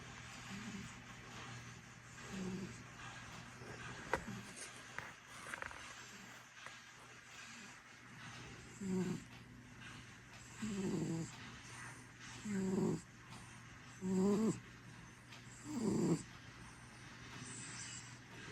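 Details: Sleeping domestic cat snoring: soft, low, breathy rasps in a steady rhythm, stronger toward the end and coming roughly every one and a half to two seconds, over a faint constant hum in a quiet room.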